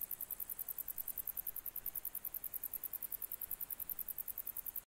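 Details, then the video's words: In July 2021 a grey bush-cricket sings a quick, even sequence of high ticking chirps, roughly seven each second, ending abruptly, with only faint hiss behind. "серый кузнечик июль 2021"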